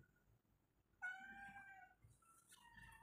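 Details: Pet cat indoors, being called over by its owner: one clear, tonal meow lasting about a second, steady then slightly falling, followed by a second shorter meow, in a quiet room.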